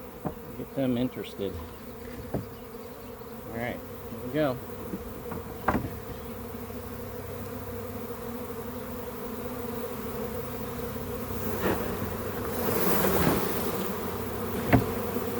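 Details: Swarm of honey bees found in a backyard, being put into a hive: constant low humming drone under scattered knocks, handling sounds and brief bits of a man talking.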